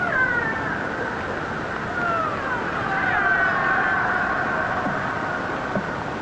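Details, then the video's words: Killer whale call of a particular type, very soft, mellow and soothing, played back during a talk on British Columbia whales: smooth gliding tonal whistles sweeping down and rising, over steady hiss of underwater noise. "And what I think is so interesting about that particular call type is it's very soft and very mellow and actually very soothing, right?"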